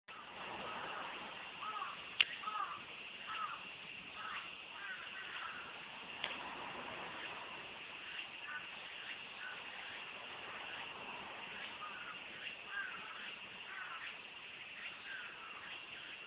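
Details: A dense cicada chorus on a summer day among wind-swayed cherry trees forms a steady, shrill, buzzing drone with rhythmic pulsing waves beneath it.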